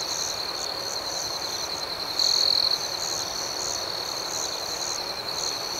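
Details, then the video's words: Crickets at night in a serene outdoor setting, gentle chirping: a steady high-pitched trill with softer pulsed chirps above, and one louder trilling burst for about half a second midway. "Soothing Cricket Sounds"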